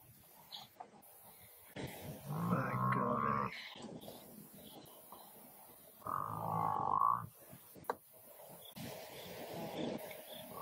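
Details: Lions, a family joined by the male, struggling to take down a very large buffalo bull; two drawn-out, deep harmonic growling roars of one to one and a half seconds each, separated by a pause, over rustling and faint background noise.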